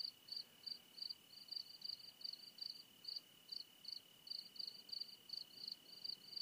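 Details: Crickets on a mountain during a walk from sunset into the night chirp in quick, high pulses over a steady, thin background trill.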